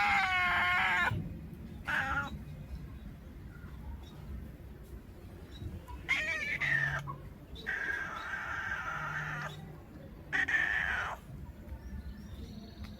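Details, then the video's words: Domestic cat calling at the sight of a bird: four loud, drawn-out meows with rich stacked harmonics, some wavering and rising then falling, separated by short pauses, over a low background hum and faint outdoor noise. "Suara kucing ketika ada burung"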